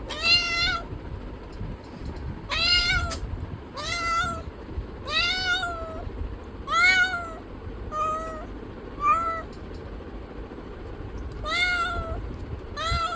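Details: A domestic cat meows in bursts, around ten brief arched meows, some clustered closely and others separated by pauses of several seconds, against a persistent low rumble.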